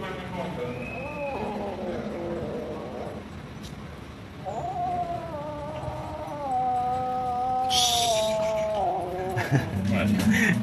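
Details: Hungry pagoda cats and kittens waiting to be fed rice and raw food: several harmonic meows, including a long wavering one of about four seconds, with rustling and a faint human voice behind.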